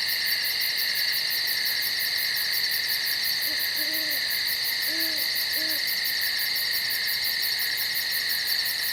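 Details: Night insects calling in the woods: a dense, continuous chorus of steady high-pitched buzzing in several layers, with a rapid pulsed ticking on top, and a few soft low hooting notes in the middle.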